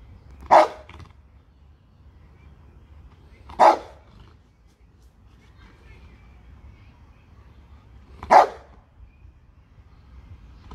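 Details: Bernese Mountain Dog barking: three loud, deep single barks spaced roughly three to four seconds apart, each short and sharp, with quiet, faint background hum between them.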